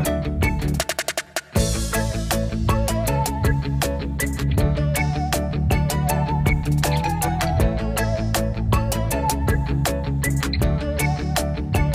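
Loud band music with drums, bass and guitar plays throughout, with no animal voice audible.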